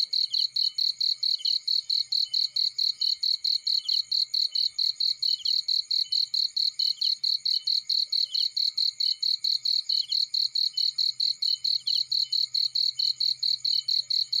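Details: Steady cricket chirping in a field while a fire burns: rapid high-pitched pulses in an unbroken rhythm, with a faint low hum and crackle below.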